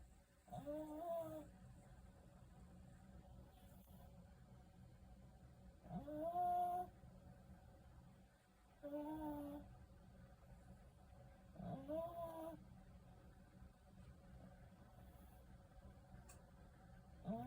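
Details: Shih Tzu snoring, heard from behind the dog: faint, whistling nasal snores with a wavering tone, each lasting about half a second and recurring roughly every three seconds over a low indoor hum.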